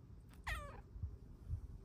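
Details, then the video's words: Female Bengal cat on a lap, asking to cuddle with a sweet meow: one short meow that starts high and slides steeply downward, in a quiet indoor room. "Lap kitty asks to cuddle with her NICEST meows!"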